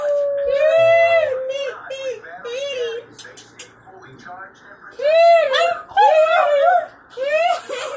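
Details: Spike, a pet dog, howls when children call the family cats: long wavering tonal howls, several rising and falling, with the children's voices calling over and between them indoors.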